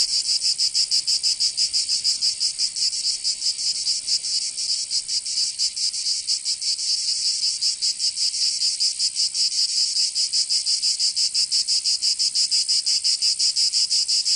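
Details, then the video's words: Provençal cicadas in summer, southern France, producing a relentless bright buzzing drone with fast throbbing pulses, slightly less even in rhythm, filling the whole recording with no other sounds. "Canto Cigarra 🦗 [ Escuchar les cigarras en verano 10 H]"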